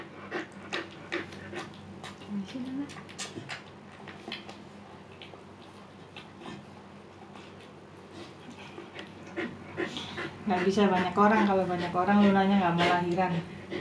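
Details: Luna, a female Siberian Husky in her second labor, giving birth and described as calm: rapid rhythmic panting, then a drawn-out wavering, quavering whimper near the end, indoors.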